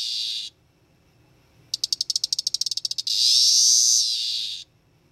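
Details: A captive male 13-year cicada (Magicicada tredecassini, Brood XIX) in a terrarium, caught as a teneral mid-May and recorded May 23 at about 7pm, gives a brief buzz, about a dozen sharp dry ticks, then a long harsh high buzz sagging before cutoff.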